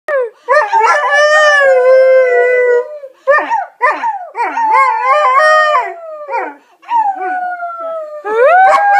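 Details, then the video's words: Alaskan Malamute making 'talking' vocalizations: loud, drawn-out howling moans with wavering, rising and falling tones, broken into several phrases with short gaps, ending in a higher yelp-like note. "Talking malamute"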